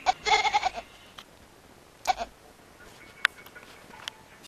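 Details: Kitten giving a goat-like bleat: one long, rapidly quavering cry, then a brief second call, followed by quiet room noise and a few clicks.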